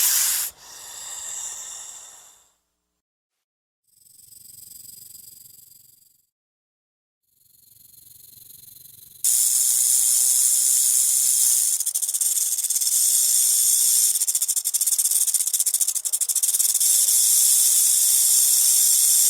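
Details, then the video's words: Snake hissing, a sound given when threatened or frightened: three breathy, airy hisses of about two seconds each, separated by short silences, then a louder, harsher continuous hiss held steadily for about ten seconds. "Il Sibilo Segreto dei Serpenti | Snake sound – Hissing sound"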